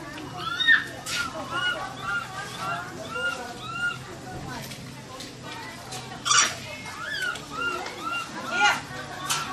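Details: Scared baby macaque trapped and crying for help, giving many short arching whimpered coos in irregular succession, punctuated by a few brief harsh noise bursts, with faint voices or other background sounds underneath.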